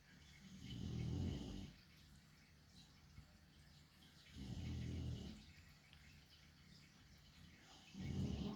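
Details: A chonky dog sleeping gives three deep, rasping low snores, each about a second long and recurring roughly every three and a half seconds, with quiet breathing and faint background hiss between them.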